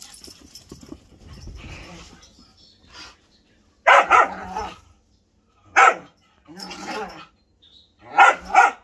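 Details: Male Whippet barking while playing an impromptu game; loud sharp barks in spaced bursts, some doubled, separated by quieter grumbling and rustling.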